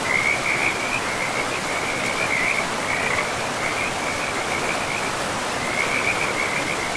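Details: Forest frogs beside a river give pulsed, trilling calls in short runs with brief gaps, the high rattling notes riding over a continuous hiss of rushing river water.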